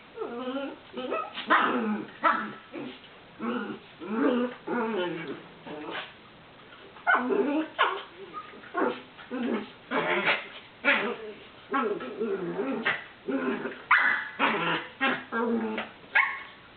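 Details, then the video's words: Chiweenie, a very vocal dog, playing with another dog: a rapid series of short grumbling, whining barks and yips in irregular bursts, some rising and squeaky, continuing throughout. "FUNNY DACHSHUND NOISES!"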